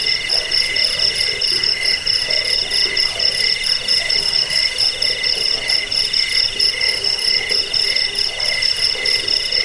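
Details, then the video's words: Cricket chorus, a recording meant for driving away rats and tutoring cage birds: shrill pulsing trills held on three high bands, continuous and layered, with soft background noise underneath. "Suara jangkik pengusir tikus pengantar tidur"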